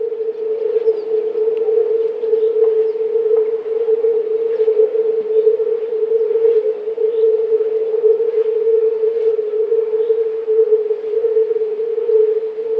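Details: Chorus of several hundred male European fire-bellied toads calling for mating, their low croaks merging into an almost steady, unbroken hum with faint bird chirps above.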